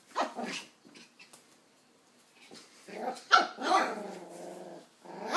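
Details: Nine-week-old West Highland white terrier puppy Doc, confronting an empty coke bottle; soft yaps at first, then a long raspy growl after about three seconds ending in a sharp bark.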